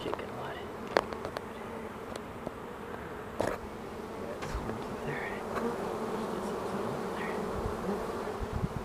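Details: A swarm of honeybees being caged, giving a dense, continuous droning hum with a steady low tone. Scattered sharp knocks and clicks from handling sound over the drone, and faint voices are heard briefly.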